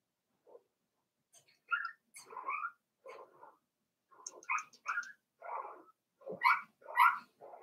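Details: In the pen with Daisy's four-week-old Cavalier King Charles Spaniel litter, rapid short whimpers and squeaky yips tumble out nearly two per second, mixing lower nasal cries with sharper high squeals, growing louder toward the end.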